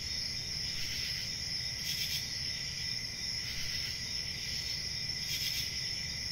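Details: Crickets trill shrilly and continuously. Short surges in loudness come at about two, four and five and a half seconds, with a faint low rumble behind them.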